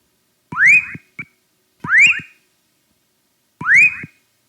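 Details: Whistling frog, Leptodactylus fuscus, advertisement call played as an example, audible to humans: three loud rising whistles, each sweeping upward and lasting about half a second, spaced roughly 1.5 seconds apart, plus a short extra note.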